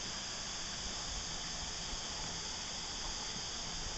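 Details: Cicadas at Christmas time give a steady, unbroken hissing drone, bright and high-pitched like escaping steam.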